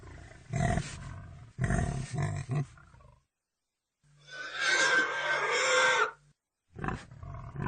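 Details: Pig giving a few low, rough grunts in short bursts, then a longer harsh, noisy squeal lasting over a second, then a brief final grunt, with clean silent gaps between the sounds.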